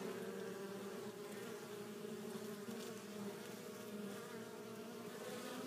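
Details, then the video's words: Honey bees coming back to the hive laden with pollen produce a dense, even droning hum with slight wavering in pitch as bees pass close by. "Bees Returning With Pollen"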